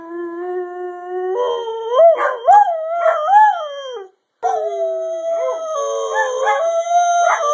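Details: Greyhound howling: a long, steady, low wail swells into wavering rising-and-falling notes, breaks off briefly, then resumes as a sustained level howl with short yips.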